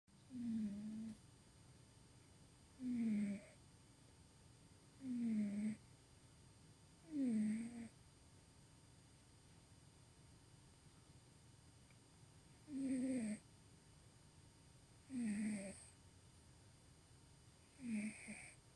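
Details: Tuxie, a pet cat, snoring while asleep and dreaming in dim light indoors: seven short, squeaky, nasal snorts come every two to three seconds, with a longer pause in the middle.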